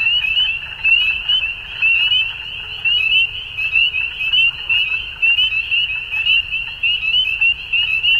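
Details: Frogs calling at dusk in spring in Ontario, Canada: a dense, unbroken chorus of high, pulsing trills that overlap into a steady shimmering wall of sound, with rhythmic swells in loudness roughly once a second.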